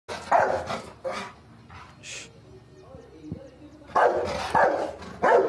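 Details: Angry dog barking, a German shepherd or rottweiler; loud harsh barks in bursts at the start and again near the end, with quieter whines and low noise between.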